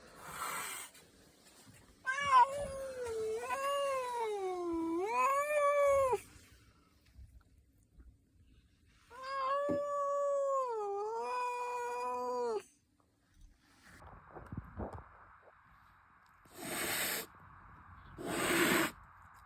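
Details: Angry house cat indoors, furious at its owner: two long, loud wavering yowls with rich harmonics, each about four seconds, rising and falling in pitch, followed by softer noises and two short bursts of hissing.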